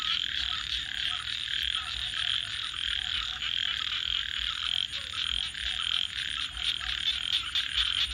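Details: A crowded nocturnal frog chorus gives a steady rasping drone of overlapping croaks, with clicks and rattles breaking through. A fine high pulsing whine persists above, with a dull low rumble underneath.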